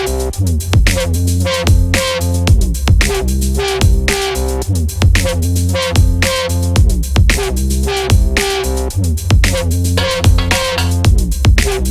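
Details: Loud electronic dance music with heavy bass, drums and guitar-like plucks fills the whole stretch, and no animal is audible.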